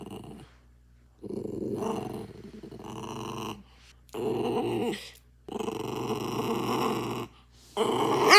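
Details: Daikichi, a quiet pet dog that rarely barks, giving lonely-sounding drawn-out vocal cries while reacting to other dogs or noises indoors; four long harmonic wails separated by short pauses, with a rougher, growl-like edge.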